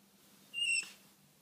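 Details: A rescue raccoon standing on a chair at a window gives a single brief, high, steady whistle to announce herself and get attention after tapping on the glass has failed.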